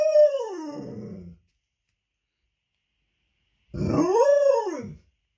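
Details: Leonberger female howling over her ball, which she refuses to share with her canine friend: a falling howl that roughens into a low growl, a pause, then a second arched howl that rises, peaks and drops away after about a second.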